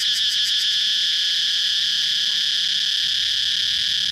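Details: Cicada singing a loud, steady, shrill buzz that holds its level throughout, with a brief pulsing flutter in the first half second before settling into an even drone.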